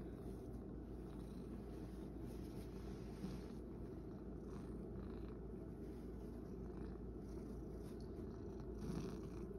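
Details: Male rescue cat kept indoors, purring as a continuous low, even rumble across the whole stretch, with a few faint rustles and a brief soft sound near the end.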